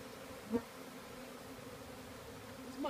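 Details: Wild honey bee swarm of about 30,000 bees, roughly 5 pounds, just installed into a new box on a farm; a steady low droning hum runs throughout, with brief squeaky human voice sounds near the start and end.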